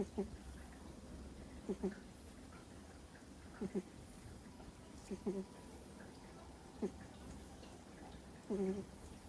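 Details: Two-month-old Miniature Schnauzer puppy sound asleep, snoring: short, faint nasal squeaks with a low hum, spaced unevenly about every one to two seconds over a quiet background.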